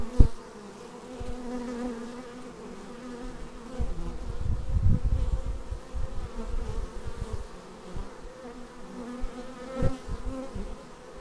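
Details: Raw action-camera footage of bees flying in to their hive: continuous droning buzz of many insects, with passing bees briefly louder around the middle and again near the end, plus low rumbling knocks.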